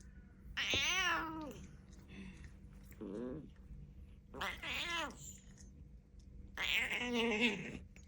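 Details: Nana, a pet cat whose calls sound like frog noises, gives four loud, drawn-out, strongly harmonic meows that rise then fall, one shorter and lower, spaced roughly every one to two seconds against a quiet background hum.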